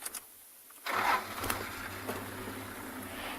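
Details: A vehicle engine starts up and settles into a steady, rumbling idle.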